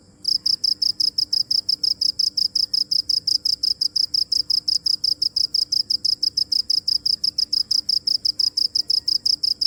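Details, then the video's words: Continuous shrill cricket chirping, sharp evenly spaced pulses around five a second from start to finish against a quiet background. "Cricket chirping | Crickets sound original | Video Crickets Chirping | សំលេងចង្រិតយំ | សត្វចង្រិតយំ"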